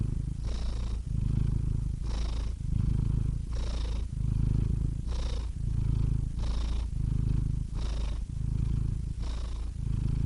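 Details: Contented cat purring close up: a rough low rumble rising and falling with each breath, about once a second, with a faint breathy hiss at each turn.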